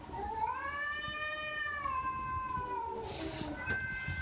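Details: Domestic cat giving one long drawn-out meow lasting about three seconds, a steady harmonic-rich tone that holds level then slowly falls, followed by a brief second cry; faint low background rumble.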